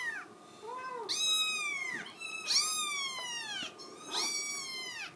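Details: Pleading meows of a Scottish Fold kitten that wants to go out: a small chirp followed by three long, high, strained cries that sweep upward and slowly fall, close and loud indoors.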